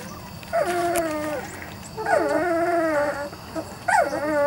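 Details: Weimaraner x Vizsla puppies from Biscuit's litter, three to four weeks old, in their early development stage, give three drawn-out whines, each wavering then sliding downward, separated by short pauses over a steady low background hum.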